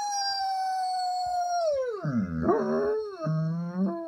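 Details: Zion, a pet German Shepherd, howls in imitation of husky howls it hears. A long, steady, mid-pitched tone falls slowly, then drops abruptly to a low, wavering, warbling moan that ends with a brief rise.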